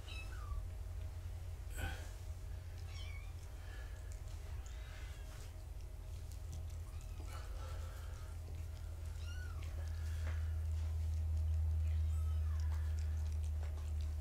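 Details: Foster kittens of the mother cat Gaia, filmed on a live foster cam during a weight check after being pottied: a few thin, high, arched mews scattered across the clip over a steady low hum and handling clatter.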